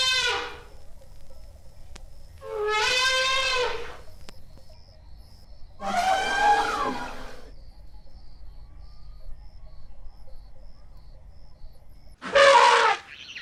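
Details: Asian elephant giving four spaced trumpet calls over about thirteen seconds, each a harsh, wavering blare with bending pitch; the last is the loudest and shortest, with faint background noise between calls.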